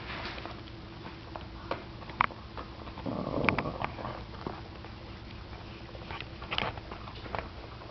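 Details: Seven-year-old Boston Terrier B.B. growling and snarling indoors to guard his bone from Bosco, a 10-week-old puppy trying to take it; a rough, noisy snarl lasting about a second, among scattered clicks and small knocks.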